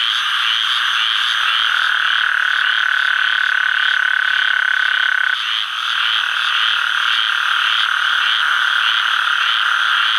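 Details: A male Gulf Coast toad calls at Sherburne WMA in the Atchafalaya Basin, south-central Louisiana, on July 11, 2013, giving a long, steady, buzzing trill over a dense background chorus.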